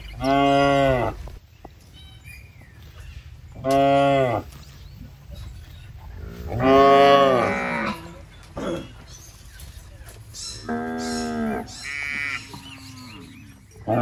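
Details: Fat, tame, healthy cattle roaming a rice field while eating grass, giving five deep harmonic moos about every three seconds, each lasting roughly a second, with faint higher chirps between calls.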